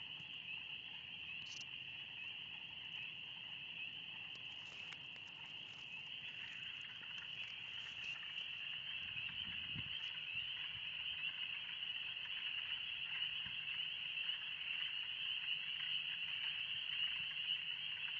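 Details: Loud chorus of spring peepers in the Oxford Woods on a warm spring day, a constant shrill high band of rapid overlapping peeps that swells louder in the second half, with a few faint scuffs.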